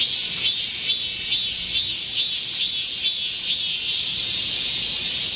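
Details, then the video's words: Chorus of Korean cicadas in a midsummer forest amid a heatwave, recorded 25 July 2024: unbroken shrill buzzing with regular rhythmic surges a little over twice per second, fading toward a steadier hiss at the end. "Korean cicadas, a chorus in a midsummer green forest | 한국 매미들의 한여름 초록 숲속의 합창"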